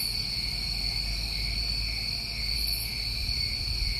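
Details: Crickets calling through a New England summer night: a dense, even, shrill trill sustained for the whole stretch, one short high shimmer midway, over a noticeable low rumbling background.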